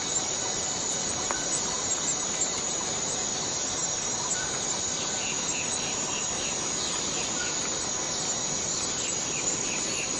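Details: Forest cicadas droning in a dense, even, high-pitched buzz, joined later by short repeated chirping notes from other insects or birds, over a faint background hiss.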